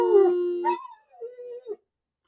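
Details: A male German Shepherd, described by his owner as quite the whiner, whines in the background in high, drawn-out tones, sliding up and then settling into a wavering note.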